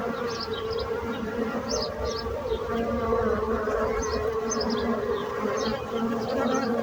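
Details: Dense, steady humming of bees buzzing together, with small high-pitched chirps repeating faintly behind the drone.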